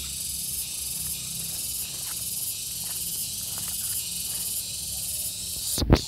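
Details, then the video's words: Gareng pung cicada calling with a dense, even high-pitched drone that pulses faintly about once every second, ending in a brief loud thump from handling. "SPECIAL SOUND IN GARENG PUNG"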